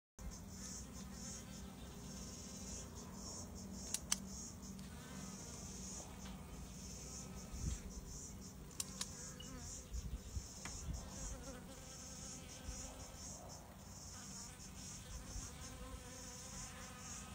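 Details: Many Western honey bees (Apis mellifera) visit a watering hole at about 115 bees per 30 minutes, humming in a steady, low, droning buzz with occasional sharp clicks.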